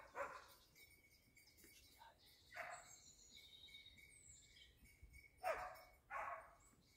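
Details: Dachsbracke dog in hunting training on wild boar, giving short harsh barks spaced a few seconds apart, with a pair close together near the end, over quiet background and faint high birdsong.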